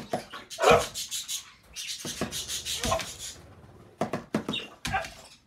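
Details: Isaac, a dog that is three-quarters French Bulldog and one-quarter Beagle, objects indoors to drumming on a hot chocolate container with a spoon: one loud harmonic bark-whine early on, then shorter grumbling whines and yelps between sharp spoon taps.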